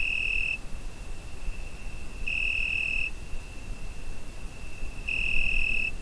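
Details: Night-time summer cricket recorded with a Zoom H5: a constant high-pitched ringing note with three intensified bursts, each under a second long, coming roughly every two and a half seconds, and low ambient rumble underneath.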